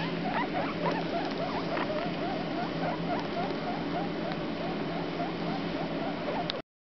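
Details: Two 4-day-old baby guinea pigs, a boy and a girl known as the runt and Comet, giving soft, short squeaks and chirps in quick, uneven succession over a steady background hiss.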